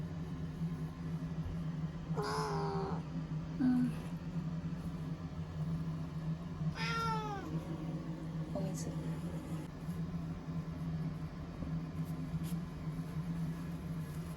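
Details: Chanta, a timid ear-tipped TNR cat formerly called Nyaa, shut in a bathroom for shelter from Typhoon No. 10 in September 2020; two separate wavering meows several seconds apart and a short chirp over a steady low hum.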